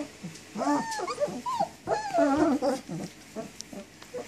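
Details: Young German Shepherd puppies, 19 days old, walking and playing while whining for their mother; short rising-and-falling squeaky whines come in uneven bursts from a few pups.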